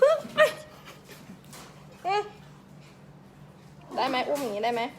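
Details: Young Pembroke Welsh Corgi puppies from a Thai kennel in Om Noi, Samut Sakhon, giving brief high whimpers and yips, then a longer wavering, whining cluster of overlapping cries near the end, indoors.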